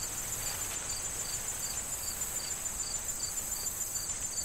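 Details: Fall crickets in a corn field give regular short high chirps in a steady rhythm beside a constant piercing trill, with a faint rustle of wind through the corn stalks.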